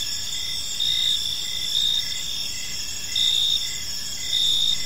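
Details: Park at evening filled with cricket chirping: steady high-pitched trill, swelling bursts roughly every second and a half, several insects together over light background noise.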